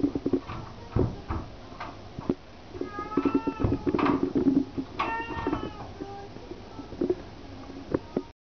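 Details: Purring house cat, a continuous low throb with handling clicks, joined midway by several short tonal meows with bright harmonics, then quieter purring and scattered taps.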